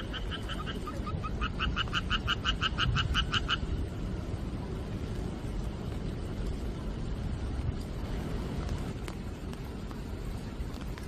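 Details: Frog chorus in monsoon-season night rain, 4 July 2023: one short bout of rapid pulsed croaks in the first few seconds, then only the continuous roar of rainfall.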